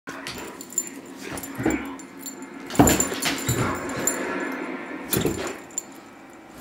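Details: Dodge, a male Great Dane, playing and trying to get attention while his owner watches TV indoors; short whiny vocal bursts and huffs come in scattered clusters, with a steady background hum throughout.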